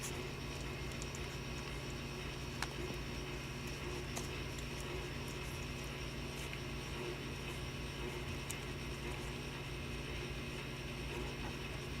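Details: Steady low electrical hum under broadband background noise with scattered sharp clicks, and no animal voices.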